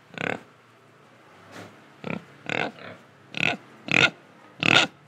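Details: Pig recorded in Indonesia giving short, separate oinks, about seven over five seconds, growing louder and sharper toward the end, with soft breathing between them.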